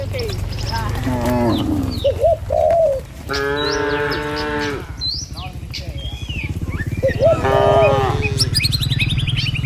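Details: Tame village cattle herd heading to the pen on a morning road; three drawn-out moos, one long and steady in the middle, separated by quieter gaps filled with hoof shuffling and a few soft bird notes.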